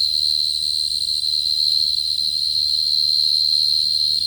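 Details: Short-tailed cricket calling as lure audio: a sustained, high, even trill with a steady pitch and harmonic ringing, over quiet low-frequency hum.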